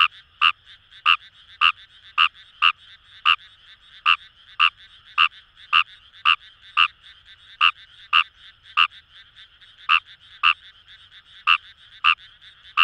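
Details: In paddy fields of Itoshima, Fukuoka, Japan, a Fejervarya kawamurai gives steady harsh croaks, roughly two per second with uneven gaps, over a soft background chorus of more frogs.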